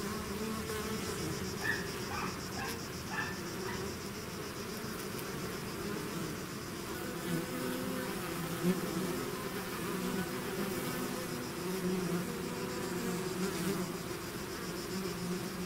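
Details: Bees swarming out of the hive make a thick, constant buzz, low humming bands overlaid by a few short brighter flickers near the start and passing insects later.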